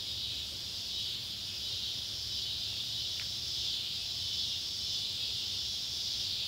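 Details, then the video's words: Summer evening chorus of Neotibicen pruinosus and Neotibicen tibicen cicadas near an old tobacco barn, Ballard County, Kentucky, July 31, 2013: a dense, continuous high-pitched whir with one brief sharp tick midway and a soft low rumble behind. "Kentucky barn with sunset light and cicada sounds"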